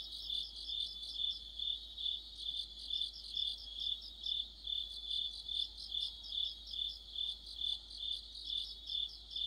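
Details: A deep-autumn insect orchestra led by crickets: a bright, unbroken high-pitched ring overlaid with rapid chirping pulses, rising and falling in loudness roughly twice a second.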